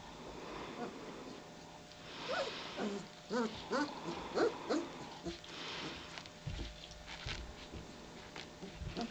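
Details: Litter of German Shepherd puppies, nearly three weeks old, just waking at 4:30 in the morning; soft wavering whines and squeals cluster in the middle, followed by low thumps and rustling as the pups move about.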